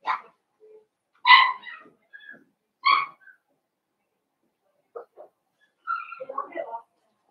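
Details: Blenheim Cavalier King Charles Spaniel puppies from a litter of five born at New Year to Paris and Spike, indoors on a puppy's pick-up day; a few short, high, ringing yips come in scattered bursts amid people talking.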